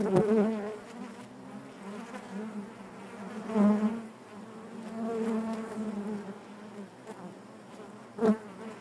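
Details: Inside a honey bee hive, a dense continuous drone of many bees, low and harmonic, rising in loud passes around three and a half seconds and again near the end, with softer crackling between.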